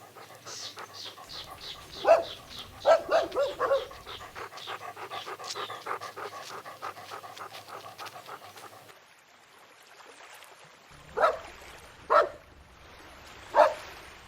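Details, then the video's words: Several puppies running, chasing and playing together on a grassy meadow; short yaps and barks come in scattered bursts, with a dense run of quick yelps early on, then three louder separate barks near the end. "Dog barking sounds"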